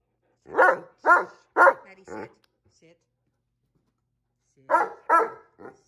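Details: Great Dane arguing indoors with a cat over which of them gets a favorite chair; four grumbling, talk-like barks roughly every half second, a pause, then three more.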